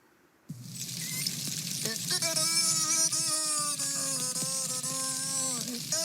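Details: Beluga singing, played back: after a sudden onset come long, steady harmonic tones that bend slightly and are broken by brief clicks, over a loud hissing high-pitched wash.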